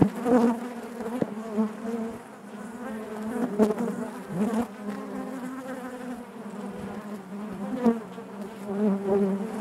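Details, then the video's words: Honey bees buzzing inside their hive: a dense, steady drone with a low hum and stacked overtones, swelling and fading in soft pulses, with brief sharp ticks and knocks scattered through. "bees therapy hive natural buzzing sound"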